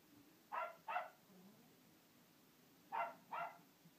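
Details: Two dogs barking at a hippo: a quick double bark, a silence of about two seconds, then another sharp double bark against a quiet background.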